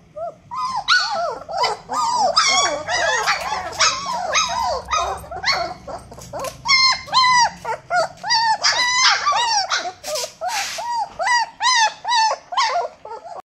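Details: Long-coat black-faced German Shepherd puppy yelping and barking in a rapid, insistent run of sharp, bright, arched cries, several per second for over thirteen seconds, loud and close.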